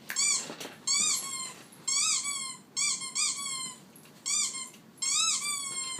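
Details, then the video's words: Pet dog giving a run of squeaks: shrill, tonal, arching notes, some doubled, repeating about once a second over six seconds in a quiet setting. "Squeaky sound on my dog"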